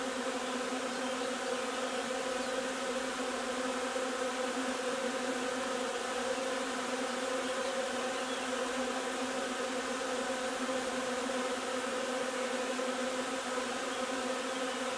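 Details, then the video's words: Bees of a hive gathering linden nectar on 3 June, producing a continuous, even droning hum, thick and unvarying across the whole stretch, with overtones stacked above a low fundamental. "alveare api durante la raccolta del nettare miele di tiglio 3 giugno"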